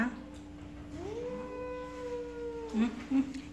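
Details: Kitty, a jealous cat meeting a newcomer named Pizza, lets out a long, wavering howl that climbs and then holds before breaking off. Short thumps follow, with a constant low hum underneath.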